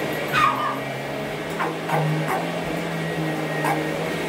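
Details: Small 12-year-old female Boston Terrier weighing 8.5 lb, barking while chasing a vacuum cleaner. Five or six short, sharp barks and yips are spaced irregularly across a few seconds over a steady, droning hum.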